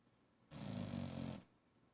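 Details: Sleeping female pet dog lets out a single snore of almost a second, a steady rough rasp with a high whistling hiss and low rumble, framed by near silence.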